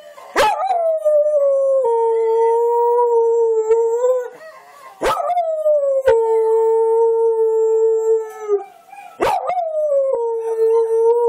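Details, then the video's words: A young dingo-kelpie mix dog gives long, tonal howls that slide down and then hold a steady pitch, howling along to a video of other dogs. "Our little dingo, kelpie mix howling at a youtube video of other dogs"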